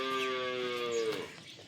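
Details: Friesian Cholistani cross cow, a farm animal in Pakistan, recorded 05/12/2025: one steady, harmonic-rich moo held for about a second, then dropping and fading at the end, with faint background rustle.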